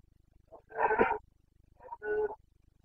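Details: Red deer stag of the Carpathians in Bucovina forest during the breeding season, 29 September 2022: two loud, rough, drawn-out bellows, each about half a second, with a short lead-in grunt, over faint low rumble.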